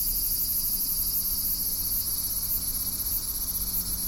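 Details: Continuous shrill cicada buzz, high and hissing, with faint rapid pulses running along its top edge, holding steady the whole time above a low background rumble.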